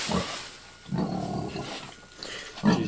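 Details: A sow close to giving birth, making a nest and eating banana leaves, gives low, rough grunts in short bursts, one drawn out longer than the rest.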